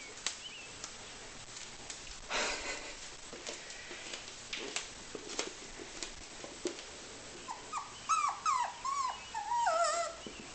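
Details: A 10-week-old puppy tasting peanut butter, giving a run of high, wavering whimpers with bent, falling tones near the end, after scattered clicks and rustles; a woman coaxes it closer with spoken commands.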